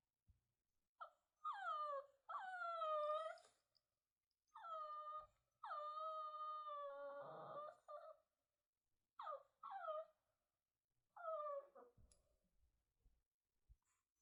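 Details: Lonely puppy left alone, whining in long, level, nasal cries that start with a quick downward slide, about six drawn-out whimpers separated by pauses, one trailing into a rougher sob.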